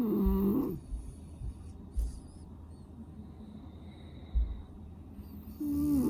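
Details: Sleeping French Bulldog from a household of five male brothers, with a snuffly blocked nose: a short, nasal, tonal snore at the start and another at the end, separated by several seconds of quiet breathing and room hush.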